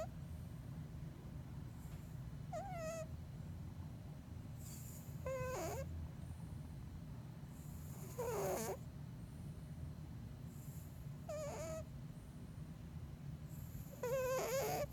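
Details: Deeply asleep Bengal cat named Elton snoring, a low rumbling undertone with a squeaky whistle and wheezy burst recurring roughly every three seconds.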